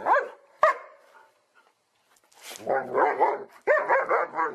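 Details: Dogs from a funny compilation: two sharp barks, a pause, then wavering, drawn-out vocal sounds with a rising and falling pitch.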